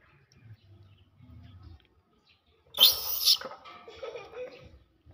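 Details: Monkey scream as big monkeys greedily snatch from and hit small monkeys: a sudden loud, harsh, high shriek lasting about half a second, then quieter wavering squeals, with faint low murmurs beforehand.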